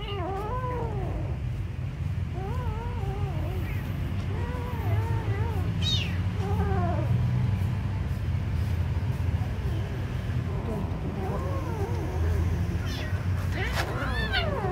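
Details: Kitten at feeding time calling with repeated arched, harmonic meows spaced a few seconds apart, a few sharper high cries mixed in, against a steady low-pitched background rumble.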